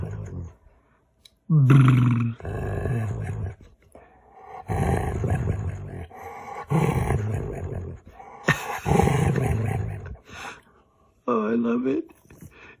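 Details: Domestic dog making funny noises while playing games with its owner: low, groaning, roar-like vocal bursts repeated several times with pauses, one ending in a higher, wavering whine, with soft human voices nearby.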